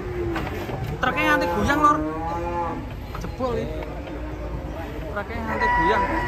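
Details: Angry cattle bellowing while a rope is tight around its neck; long harmonic moos rising and falling, several overlapping, with shouting voices around.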